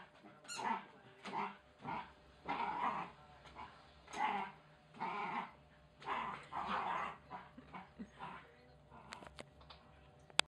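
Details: Wire Fox Terrier pup named Oscar wrestling and destroying a chicken toy; rhythmic bursts of harsh, snarling growls roughly every one to one and a half seconds, fading to softer grumbles near the end, with a sharp squeak and small clicks at the close.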